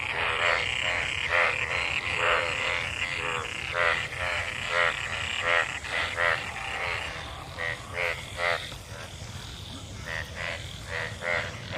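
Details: Frogs gathered in water left by monsoon rain, mating, give rapid pulsed croaks in clustered bursts, roughly one a second, overlapping into a busy chorus with brighter tonal tips on some calls.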